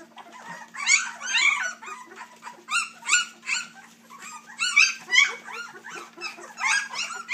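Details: Three-week-old puppies from a Dixie and Colby litter squeal and whimper in overlapping, high, arched cries that rise and fall, coming in quick bursts with short lulls between; a steady low hum runs underneath.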